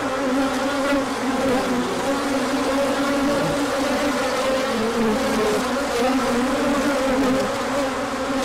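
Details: Honeybees on a large orientation flight on 24 March 2024, emerging when the sun came out after colder weather, with plenty of pollen coming in afterwards; a dense, steady swarm hum of many overlapping droning tones, bands wavering gently throughout.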